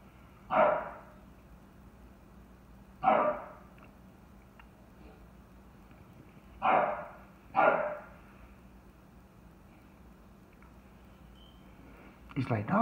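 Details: Chocolate tri merle English Bulldog barking at a knocked-over bucket, single loud barks spaced two to four seconds apart, five in all, with a faint click and rustle near the end.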